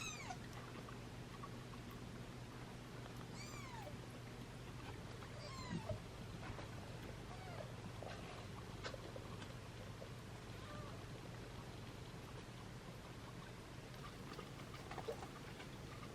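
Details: Thin, high mews rise and fall in scattered bursts over a steady low hum as newborn British Shorthair kittens in a litter of seven whimper from hunger in the background during syringe feeding.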